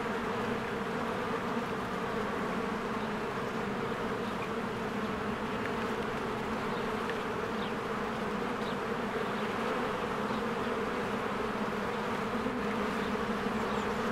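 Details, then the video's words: Many honeybees working around their hive in spring produce a smooth, persistent buzz, a deep even hum filling the whole recording. "Beehive ASMR"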